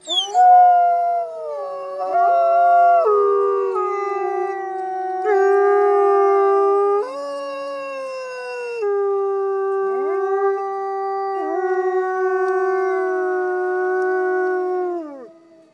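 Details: Wolves at the Lakota Wolf Preserve in a loud chorus of howls: several overlapping voices hold long, smooth tones, stepping between pitches, dipping and rising again, lasting over fifteen seconds before fading out in a downward slide.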